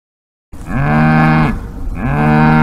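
Two drawn-out, low moos from a cow fill the recording, each rising briefly at the start before settling into a full, resonant drone. A short breath-like pause separates the calls, and nothing else is heard.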